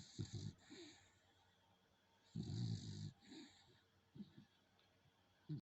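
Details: A dog called Coco snores while asleep. Short raspy snorts open the clip, a fuller rumbling snore follows midway, and quieter fluttering breaths end it.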